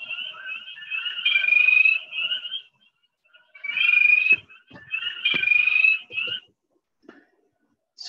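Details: A spring peeper starts with its usual peep call, then shifts into high, shrill musical trills. Some peepers do this under certain conditions, and the variant is easily mistaken for a chorus frog.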